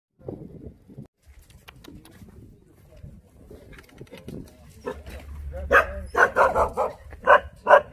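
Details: Jindo dog met on Jindo, Korea: after several quiet seconds of low rustling and murmur, a burst of sharp, loud barks arrives in an uneven run near the end.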